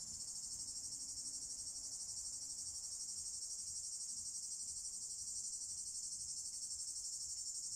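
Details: Male cicadas in Drôme and Ardèche, France, singing in daytime summer warmth as a mating call for females; a continuous, very high, fizzing buzz throbbing in quick, even pulses about four times a second.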